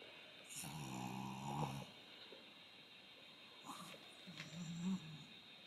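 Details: Chihuahua Kohaku begging, with an attitude that changes between dad and mum: a low, nasal, rasping grumble for about a second, then a pause and shorter snorting grunts, over a steady high hum.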